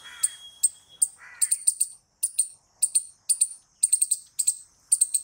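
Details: Squirrel giving a rapid series of sharp, high, clicking chirps, mostly in quick clusters of two to four notes with brief gaps, plus a few softer lower rasping notes near the start.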